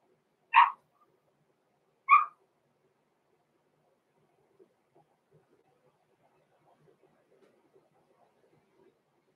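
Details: Six-week-old Cavalier King Charles Spaniel puppies, blenheim litter born November 14, 2022, indoors in a home puppy pen: two short, high yapping barks about one and a half seconds apart, then near silence with faint rustling.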